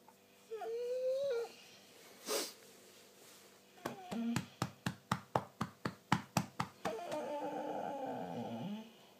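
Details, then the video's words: German Shorthaired Pointer talking in the morning: a rising whine, a brief sharp noise, then a run of about ten quick, regular thumps or taps, and finally a long, rough, groaning moan. "German Short Haired Pointer Talking"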